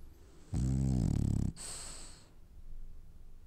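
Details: French Bulldog snoring while dreaming: one loud, low, rattling inhaled snore lasting about a second, followed by a soft hissing exhale, then quiet room noise.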